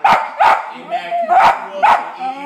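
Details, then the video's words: West Highland White Terrier barking at dogs on a television, four sharp barks in pairs about a second apart, with television sound faintly underneath. "White Highland Terrier Barking at Dogs on TV!"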